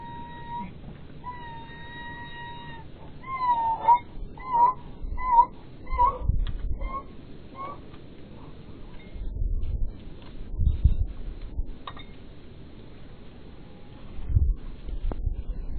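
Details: A Podenco, one of two Podencos visiting the tomb of a dead canine companion, cries there: it whines in a long, steady, high tone, then in a string of short, wavering cries.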